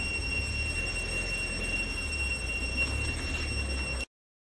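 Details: A cicada on a farm on 11/11/2021 sings a loud, steady, shrill, high-pitched whine that holds one tone without a break.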